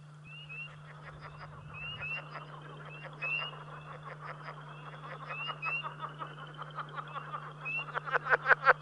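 Southern leopard frogs give rapid, guttural chuckling pulses that swell louder toward the end.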